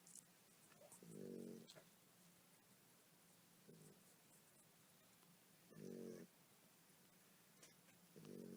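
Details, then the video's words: A tired mother dog snoring while her puppies nurse; soft rasping snores of about half a second recur every few seconds over a quiet room, with faint small rustles and suckling noises. "Nursing puppies while Snoring"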